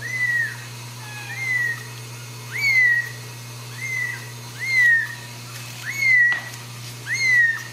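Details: Ragdoll kitten at a home cattery in central Kansas, out of its nest and being put back. It gives high, arched, slightly falling mews, seven in a row, roughly one every second, over a steady low hum.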